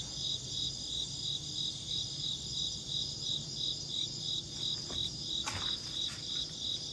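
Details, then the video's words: Insects chirp with rapid, regular high pulses, roughly three each second. A brief broadband click or rustle comes midway, with a quiet low hum underneath. "Insect chirping sounds"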